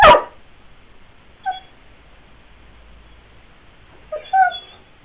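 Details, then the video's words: Pyrenean Mastiff named Sweety pleading to be let out while gardening goes on outdoors: a thump at the start, then brief high tonal whimpers, one short and a longer wavering pair near the end. "Pyrenean Mastiff wants to go out 一緒にお外に出たいピレニアンマスティフ"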